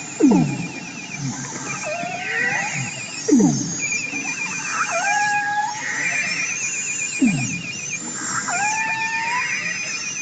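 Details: A beluga whale chatters in high whistles, buzzy pulsed trills and sweeping squeals, much like a dolphin, sounds used underwater to navigate, communicate, feed and stay safe.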